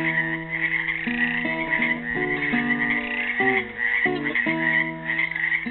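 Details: Frogs confined in a pool in Helix, Oregon, Earth Day 2016, croaking in a steady raspy chorus while a classical guitar plays a made-up tune in clear plucked notes and chords alongside them.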